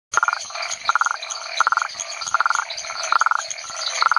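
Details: Rhinella cf. paraguayensis at the Chiquitos research station, Hacienda San Sebastián, Chiquitania lowlands of Bolivia: short buzzy pulsed trills repeated roughly every 0.7 seconds, over a dense high-pitched chorus of other frogs.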